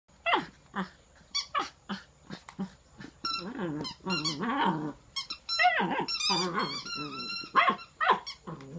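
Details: Twelve-week-old Bluetick Coonhound puppy, born at a kennel in Polk City, Florida, with an opossum and a frog; rapid squeaky whines, yelps and wavering, growly howls pour out in quick irregular bursts.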